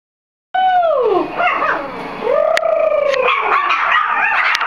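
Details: Four-week-old Soft Coated Wheaten Terrier puppies howling at a strange voice: a clear drawn-out howl that slides downward, then a second howl rising and falling, with other pups' yips and wavering cries joining near the end.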